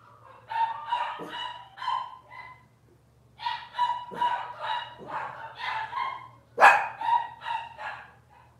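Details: Cavalier King Charles Spaniel puppies from Robin's litter, filmed on an indoor kitchen camera on a Wednesday morning, giving bursts of high, nasal, harmonic whines and short yelps in three clusters, with brief quiet gaps and a low steady hum underneath.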